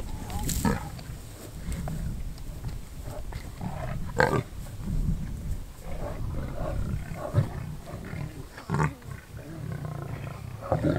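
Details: Lions killing a wildebeest in and around Kruger National Park, South Africa, filmed on a game drive; deep, rumbling growls run almost continuously, broken by sharper snarling bursts near the start, middle and end.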